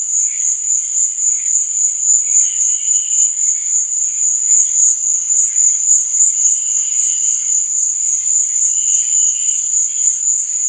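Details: Crickets at night give a continuous high, shrill chirring with a steady pulsing beat, about three to four pulses a second, over faint, lower wavering tones.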